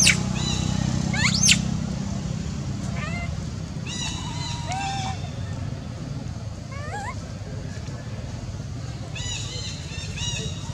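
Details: Little monkey in Cambodia screaming alone while its mother gives it no care: thin high squeals with rising and falling sweeps and bright overtones, in scattered short bursts, over a steady low rumble.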